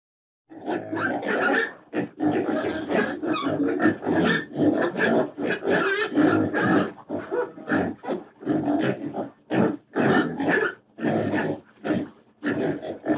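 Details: Pig grunting almost without pause, deep rough snorting grunts following one another in a steady, uneven stream.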